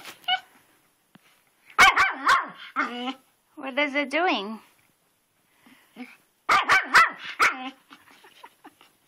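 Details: A dog called Twitch runs in circles around a rock in the flower bed, barking at it in the rain. Two bursts of rapid, harsh barks, each three or four in a row, alternate with a person's excited speech.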